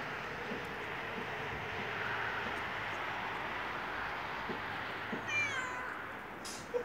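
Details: Stray yellow cat appearing at a house and meowing for food; a single short, bending meow rises out of constant hissing outdoor background noise near the end.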